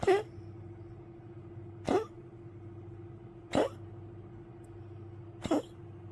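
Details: Old poodle waking at night with coughing on 1 May 2025, before unsteadily drinking water: four short, harsh, explosive coughs spaced roughly two seconds apart, each a sharp burst, over a faint steady low indoor hum.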